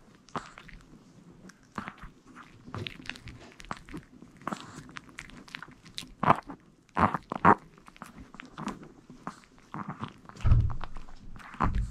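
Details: Indoor eating sounds: repeated crunching and chewing bites with scattered thumps and footsteps in a small room, no animal calls.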